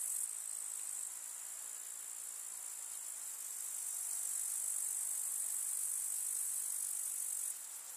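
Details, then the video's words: Grasshoppers chirping in a rural summer meadow with field flowers: a continuous sizzling high trill that grows gently louder midway, then drops softer near the end. "КУЗНЕЧИКИ. Слушать звуки летнего луга"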